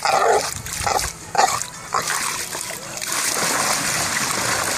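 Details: English bulldog that fell into a hot tub and cannot get out, swimming and grumbling; short nasal grumbling whines in the first two seconds, then steady splashing and rushing water dominate.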